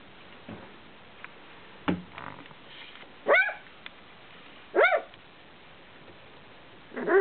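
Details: Welsh Springer Spaniel puppies, 18 days old, just beginning to walk and yap: three short, high, wavering yelps with a rising-falling pitch, a few seconds apart, with soft scuffling and faint clicks between them.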